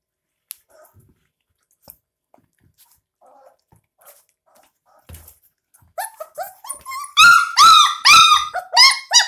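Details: Twenty-two-day-old puppies drinking milk from a bottle indoors: quiet suckling clicks at first, then a run of loud, harmonic-rich squealing cries repeated about twice a second, each sharply rising then falling.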